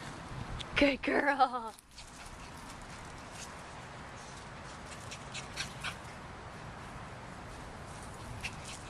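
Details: Sonnet, an 8-week-old Shih Tzu/Maltese mix puppy, playing with Wellington and Corduroy; a brief series of high, wavering whimpers near the start, then quiet room sound with a few faint clicks.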